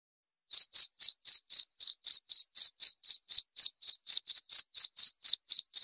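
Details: Cricket chirping in steady, high, pulsed bursts, about four short chirps each second, each a bright tinny trill, beginning after a half-second of silence, with no other sounds in the background.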